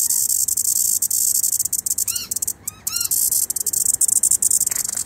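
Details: A cicada's steady, high, hissing drone fills the air, with a few brief chirps from birds that later try to catch it as it flies away.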